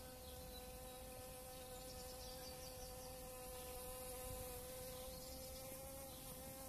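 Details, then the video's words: Steady, unbroken low drone of a honeybee's wings as it works dandelion flowers in April 2017, an even hum lasting the whole stretch over soft background noise. "Honeybee visiting dandelions"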